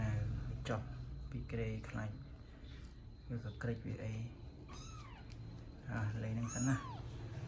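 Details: Tabby kitten learning to walk slowly, step by step, gives a few short, high mews that arch up and then fall, the two clearest near the end, while a person talks steadily over it.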